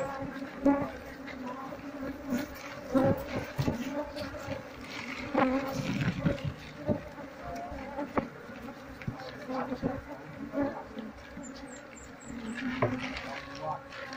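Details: Wild Apis cerana colony being cleared from the comb one by one with a brush before moving into a hive box, while the queen is searched for; sustained low humming drone with fluctuating loudness and occasional clicks and rustles.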